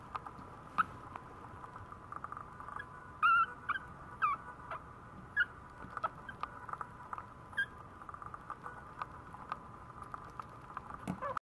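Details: Maltese puppy giving short high whining squeaks, a few sharp peaks spaced unevenly over several seconds, with a steady faint hum and soft pattering in the background.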